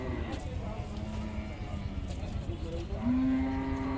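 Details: Cow, described as a big mother cow, being bathed and cleaned. Near the end a single low, steady moo holds one pitch and rises slightly for about a second over constant background noise.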